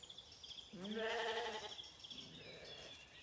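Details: A single Zwartbles lamb bleats on lush pasture on a County Kilkenny farm, Ireland, looking for its mother in the morning; one drawn-out wavering bleat, with bird twitters before and after.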